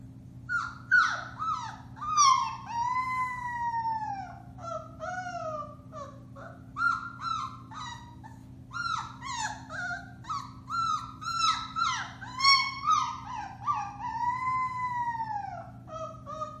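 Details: Four-week-old Alaskan Malamute puppies of the Bema and Cole litter, March 30, 2021, in a busy howling chorus: dense overlapping yips, squeals and arching wails that rise then fall, pulsing in bursts throughout, faint hum beneath.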